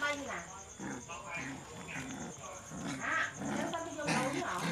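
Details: Puppies quarrelling and playing at night: a busy mix of low rough growls and short rising whimpers, several overlapping, with a steady high electrical hiss throughout.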